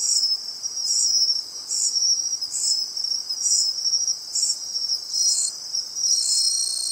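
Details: Bell cricket found by listening at the seaside: bright, high ringing notes in pulses close to once a second, each swelling and fading, against a continuous high trilling backdrop.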